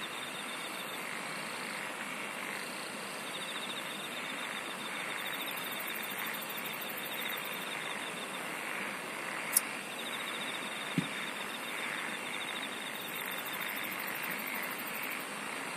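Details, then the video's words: Insects singing in a dense night-time chorus: a steady shrill hum, rapid pulsed trills high up and a softer pulsing buzz in the middle, with two sharp clicks near the end. "SINGING OF INSECTS"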